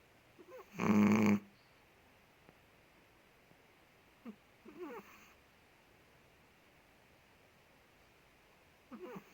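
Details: Asleep indoors, the big Indonesian Chihuahua Ted lets out one loud gravelly snore early on, followed by softer wheezy whistling breaths and a faint snuffle near the end.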